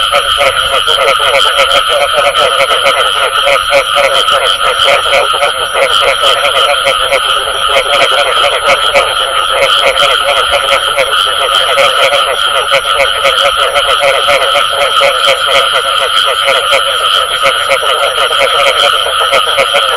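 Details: Frogs calling with the sound known in Vietnamese as "bù tọt"; a dense, unbroken chorus of rapid pulsed croaks that stays equally loud throughout, over a steady high-pitched tone.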